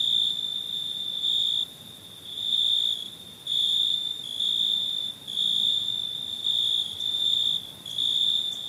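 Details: Cricket chirping after dark: shrill, ringing bursts of about a second, separated by short softer gaps and repeated through the recording, with a gentle background hiss.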